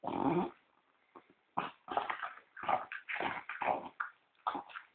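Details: Pet French Bulldog said to snore like a person, dozing while it waits for a cookie. Short raspy snorts and wheezy breaths come in separate bursts, each under a second long, with quiet gaps between them.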